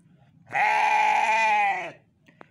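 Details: Garut sheep, a ram being cared for on a day off, gives one long steady harmonic bleat lasting over a second, loud and clear against a quiet background, followed by a faint click.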